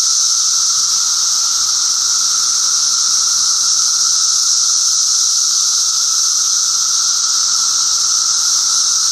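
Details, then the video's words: Brood XIII 17-year periodical cicadas, newly emerged adults singing from trees and bushes in northern Illinois, warm sunny June afternoon: dense chorus, steady high hissing drone over lower even buzzing, several species' songs mixed. "If you listen closely to these cicadas, you can tell there's more than just one kind of song going on."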